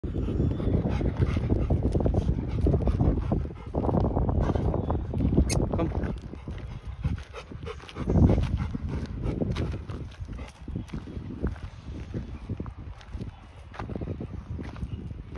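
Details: A Rottweiler gives deep, low barks and heavy panting during evening work, with a person talking nearby.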